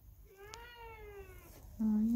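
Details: Factory cat left alone after the dogs it lived with were suddenly taken away by truck, on a cold windy day; one long falling meow, then a louder flat steady tone cuts in at the end.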